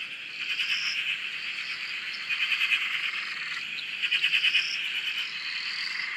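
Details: Many frogs calling together at a dam in Australia, heard from a shack: rapid pulsed rattling bursts swelling and fading every couple of seconds over a constant high trilling background with rising whistle-like notes.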